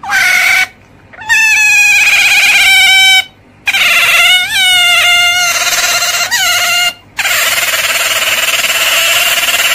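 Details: Otter calling in long, high, harmonic-rich squeals that hold steady, then bend in short wavering rises and falls, separated by brief silent breaks.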